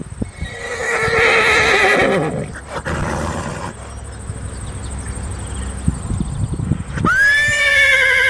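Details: Horse producing a loud, trembling neigh over the first two seconds, low rumbles and hiss in the middle, then a clear high whinny that falls away in steady harmonics at the end.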